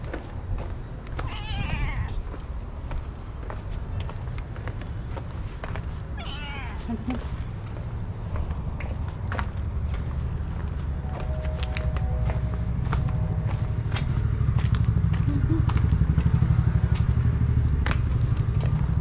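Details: Hungry stray cat meowing outdoors while asking for food from someone who feeds strays daily: two drawn-out, wavering meows over a steady loud low rumble, with a person speaking Korean and scattered clicks.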